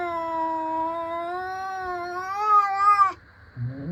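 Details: A cat in a playful face-off with another cat holds a long, steady yowl for about three seconds, swelling and rising slightly at the end before breaking off, followed by a short low grumble.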